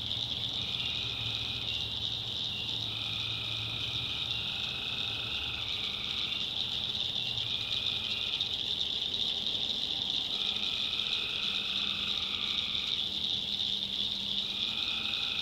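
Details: Tree frogs at night in a North Carolina backwoods swamp, self-recorded; an unbroken shrill high chorus overlaid by lower trilled calls, each one to two seconds long, repeating every few seconds, with a low rumble beneath.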